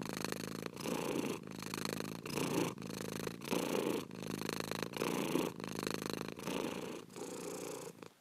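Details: Domestic cat purring steadily in a close, continuous rumble, broken into even pulses by short breathing pauses about every 0.7 seconds, with no other sounds.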